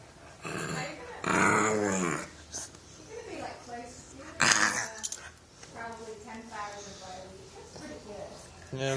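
A bulldog puppy makes squeaky, grumbling growls and whines while a person talks and laughs nearby.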